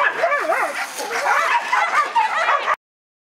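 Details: Whippet at a classic race, heat 13 of the Lednice Cup: loud, high, wavering yelps and whines overlap in a rapid, continuous series for under three seconds, then stop abruptly.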